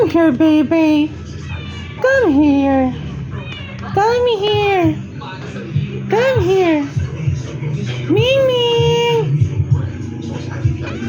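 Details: Cat calling in a series of about six clear, drawn-out meows, each rising then falling in pitch, some longer and more wailing, spaced roughly every two seconds over a steady low hum in the background.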